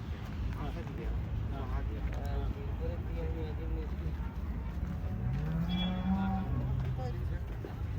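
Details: Holstein Friesian cow on a farm in India lets out a long, low, rising moo in the last three seconds, preceded by fainter calls, with continuous low rumbling background noise.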